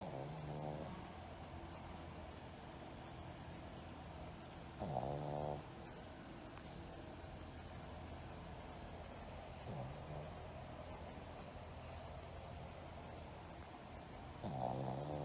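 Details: A Shih Tzu, in deep sleep after tiring itself out playing, snores in slow, rumbling breaths, one throaty snore about every five seconds.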